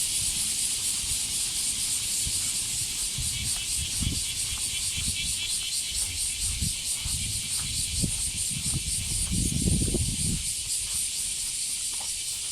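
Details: Cicadas in a loud summer chorus heard while walking a female Border Collie named Rin, a dense continuous hissing buzz filling the air, with footsteps and scattered rustling below.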